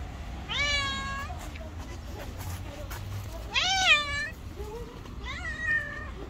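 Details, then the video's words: Three loud, strained meows, each rising then sagging, come from an angry white cat that allows no one to come close; a faint low rumble continues underneath. "White cat was very angry and not allowed anyone to come to it"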